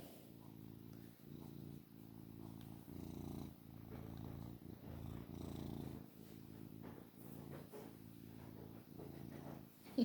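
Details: A long-haired male Maine Coon cat, described as a really loud purrer and lazy, purrs steadily in a low rumbling vibration that pulses with each breath.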